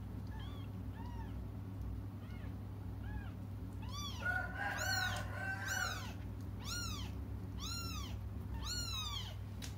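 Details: Cats waiting for their mother keep crying: faint meows at first, then louder, higher arched calls in rapid overlapping bursts, a brief muffled rustle midway, and a steady low hum underneath.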